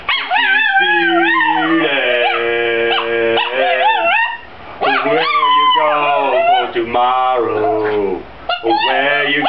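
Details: Chihuahua named Spike singing, a series of long melodic howls that rise, fall and waver, broken by short pauses, each phrase bending in pitch like a sung line.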